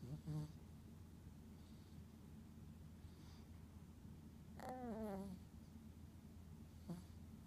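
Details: A sleeping Chihuahua gives a little snore: a soft, nasal, harmonic snort with a brief wavering whine in the middle, then a short, quieter breath near the end, over a low steady hum.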